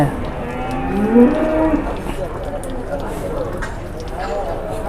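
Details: A large 826 kg cow, shown at a livestock market in Indonesia, gives a low drawn-out moo with harmonic bands, heard amid crowd murmur and background chatter.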